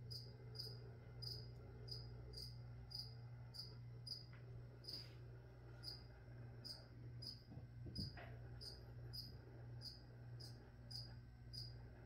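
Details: Cricket with evenly spaced, piercing high chirps roughly twice a second throughout, recorded while plants are sprayed; a constant low hum and a few faint rustles and knocks sit in the background.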